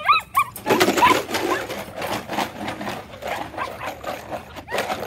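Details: Ten-week-old Malinois puppy giving a few short, high, wavering whines in the opening half second, followed by continuous scuffling and rustling noise indoors with faint fainter yelps scattered through.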